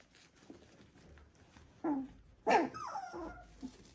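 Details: Three-week-old Border Collie puppies from litter V2, sired by Cru out of Ori, indoors; two short rising whimpers close together, then a softer falling squeal, over quiet room noise.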